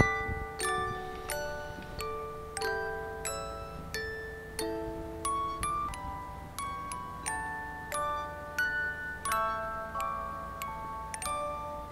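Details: Bright glockenspiel or chime-like mallet notes ring out in a steady melody, with no animal sound present.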